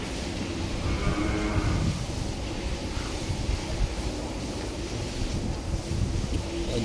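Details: A black Holstein Friesian cow that has just given birth, on a dairy farm while its colostrum is milked for the calf. A low, drawn-out moo runs through the first two seconds over steady rumbling background noise.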